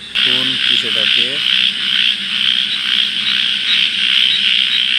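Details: Frogs calling at night near water: three short, low croaks with ringing overtones in the first second and a half, then a loud, steady, high-pitched pulsing drone.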